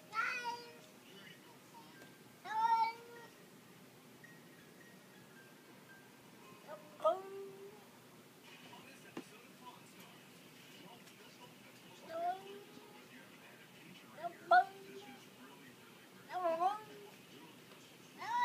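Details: Domestic cat making funny noises: a series of about seven short, bright meows, some rising and bending, spaced irregularly two to five seconds apart over quiet room background.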